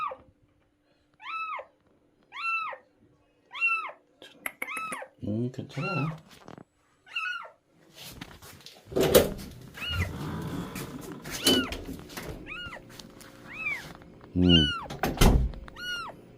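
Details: Stray cat being rescued, meowing repeatedly in short high arches indoors while a person talks over it; a burst of handling noise and clatter in the middle, then more meows resume.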